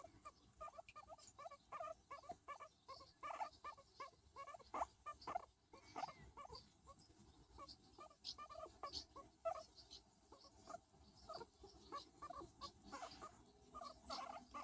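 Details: Skinny pig Luis, a furless guinea pig breed, making cute sounds while being patted: a steady series of short, pulsed squeaky notes repeated quickly throughout, rising and falling in loudness, over a soft background hiss.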